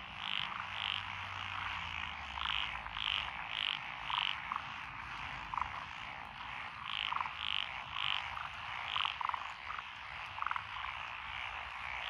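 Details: Frog chorus from lotus rice paddies along a rural road in Echizen, Fukui, Japan, 12 June 2021. Tree frogs, pond frogs, wrinkled frogs and green tree frogs call. Bright high croaks come in quick bursts over lower clucking notes and a steady trilling bed.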